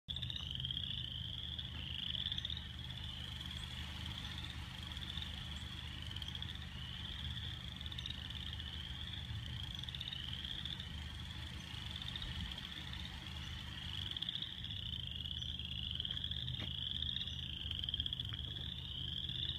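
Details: Frogs calling in a continuous high-pitched chorus of quick pulsed trills, overlapping notes repeating without pause, over a steady low rumbling hum.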